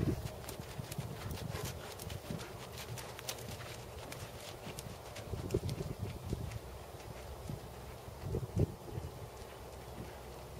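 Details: Dressage work by Tobias, a 16.2-hand black Percheron/Thoroughbred gelding aged seven, shown at 1st Level. Soft, low hoof thuds run throughout, broken by a few sharper strikes late in the passage.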